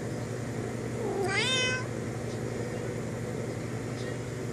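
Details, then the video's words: Domestic cat talking to a friend outside the window: one drawn-out meow rising then falling, rich in stacked harmonics, lasting about half a second, over a steady low hum of background noise. "Cat talks to friend outside window"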